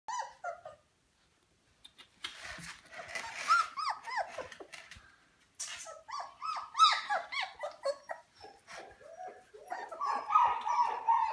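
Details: German Shepherd puppies at three and a half weeks old in a kennel, whimpering with rapid, high, squeaky downward-sliding cries, many overlapping and repeated several times a second after a brief quiet start.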